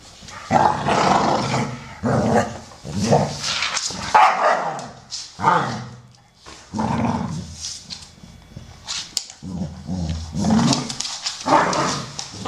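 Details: Playful Amstaffs, brown male Solo aged 12 and grey female Shaya aged 1 year 8 months, trading repeated gruff barks and throaty growls in quick, uneven bursts.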